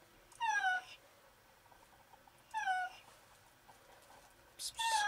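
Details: Trapped female cat, sick and weak, stuck on the ground floor of a walled alley reachable only through a door, meowing desperately for help: three loud, drawn-out, falling meows with rich harmonics, spaced about two seconds apart, over faint background hiss.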